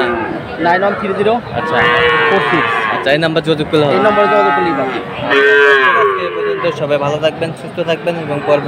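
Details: Small Sahiwal bull calves traded at Aftabganj cattle market on 18 October; repeated long, harmonic moos, roughly three distinct bellows spread through the clip, with human talk and crowd noise underneath.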